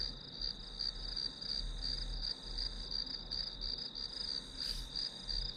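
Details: Grass insects chirping as ambient white noise while studying, a bright high trill of quick regular pulses, steady throughout, over a soft low hum, with one brief brushing noise near the end.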